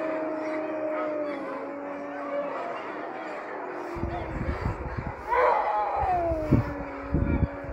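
Sled dogs howl in long, drawn-out tones, one voice swelling upward and then sliding slowly back down.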